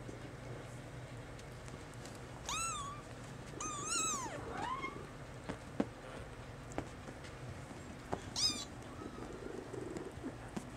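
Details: Maine Coon kittens, three young cats together indoors; high, thin meows with rising then falling pitch come in a quick pair, then a single short meow later, over quiet room background with small clicks.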